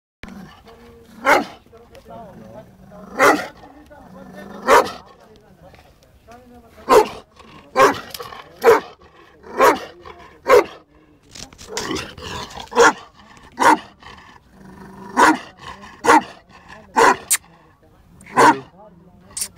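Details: A male Bully Kutta dog aged 11 months and 19 days barks repeatedly. Sharp, loud barks come irregularly, about one every second or two, with some talking and background sound in between.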